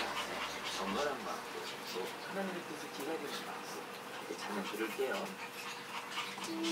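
Yorkshire terrier puppies whimper and squeak in soft, high, broken cries, with a person talking nearby.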